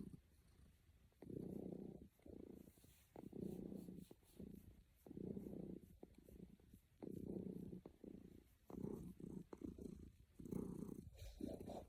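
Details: Content cat snuggling and purring, a deep buzzing rumble in regular breath-length pulses with brief quiet gaps, light rustles and clicks.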